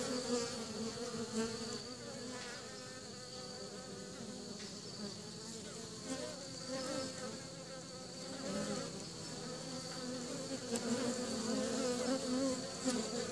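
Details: Honey bees bringing pollen back to the nest: a dense, steady buzzing hum from many bees with wavering droning tones, swelling slightly louder toward the end as individual bees pass close.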